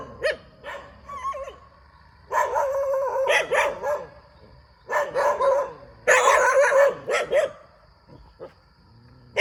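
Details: Near a rubber plantation, a dog barks in uneven bursts. Early short yips and a brief whining tone lead into rough, tonal barking runs of a second or more, with pauses between.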